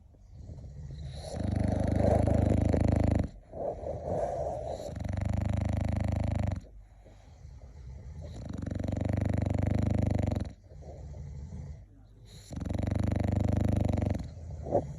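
An English bulldog snores in long, rumbling, low-pitched breaths, each lasting a few seconds.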